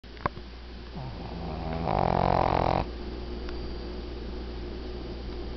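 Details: A 12-year-old female Shih Tzu, nearly 13, who has snored since she was a puppy, snores with a low buzzy rattle that swells into one loud, rasping breath.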